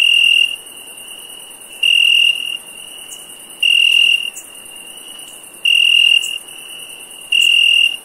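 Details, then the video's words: Night cricket giving sustained high, pure-toned chirps roughly every two seconds, each lasting around half a second, against an unbroken high-pitched insect drone with faint ticks. "Cricket Chirp"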